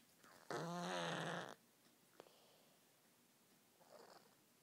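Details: A sleeping cat with no ears snores: one loud, rough, drawn-out breath lasting about a second, followed by a faint click and a much softer breath later on, in a quiet room.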